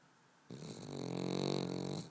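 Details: Boston Terrier asleep, giving a single drawn-out snore that starts abruptly and holds a steady, buzzy rattling tone for about a second and a half.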